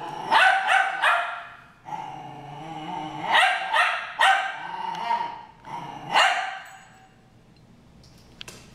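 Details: Brawl between two dogs named Harry and Ferris, with a fast series of sharp rising barks mixed with snarling growls, then the noise fades to quiet near the end.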